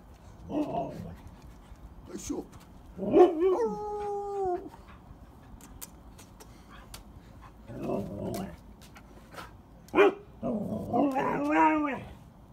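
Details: Pet huskies greeting a person dressed up as a husky, with short yelping calls, then a long sliding howl falling in pitch around three seconds, and later wavering whining yodels mixed with human voices.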